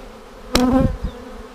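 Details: Honey bee colony seven days after a vertical split with a double screen divider board, March 10, 2019, during a queen cell inspection: an even drone cut by a loud scraping burst midway, then a softer knock.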